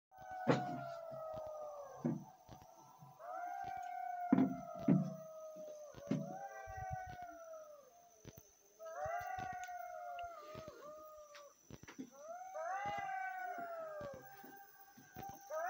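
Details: Golden jackals near Meleskur, Rize, Turkey, calling as they emerge at the call to prayer before searching for food: a chorus of wavering, falling yelps and howls from several animals, overlapping in bursts, with sharp clicks and noise.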